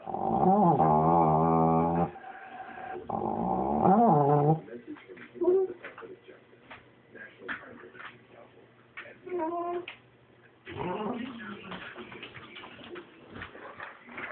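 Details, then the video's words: A pet dog growling in a funny way: two long, drawn-out, tonal moaning growls of about two seconds each open the recording, followed by quieter short grunts and yips, with talking in the background. "Funny growling dog"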